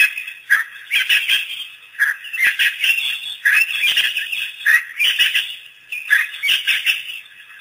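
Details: African wild dogs, a pack making its first visit to Pete's Pond after release by researchers on April 5, 2008, give bursts of high, chirping twitters in irregular clusters about a second apart, over a steady high insect-like hiss.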